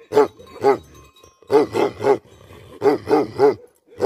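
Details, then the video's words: Angry Tibetan Mastiff, known in Nepal as Bhote Kukur, barking: deep, harsh barks in quick bursts, first a pair, then two runs of three, each loud bark separated by short pauses. "Angry dogs barking effect sound ||Tibetan Mastiff || Bhote Kukur"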